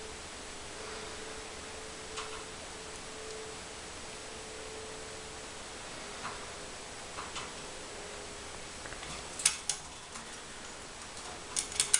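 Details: Quiet indoor room tone with a faint steady hum and a few scattered soft clicks and taps; no animal voice.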